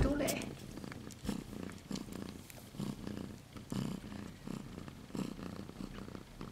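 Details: Siberian kittens, two silver females only 2 and 3 weeks old, give a low, pulsing purr that rises and falls regularly, with a short bit of human voice at the very start.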